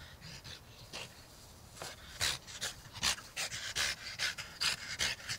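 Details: One-year-old French Bulldog playing outdoors in a yard with its soft Dalmatian toy; quick, breathy, hissing pants come in short bursts, growing louder and more regular toward the end.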